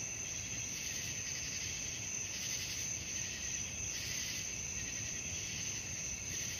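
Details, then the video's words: Crickets at night in a dense, continuous high-pitched chorus, several shrill bands stacked together with a slow pulsing swell of loudness; no other sounds stand out. "suara jangkrik malam penghantar tidur"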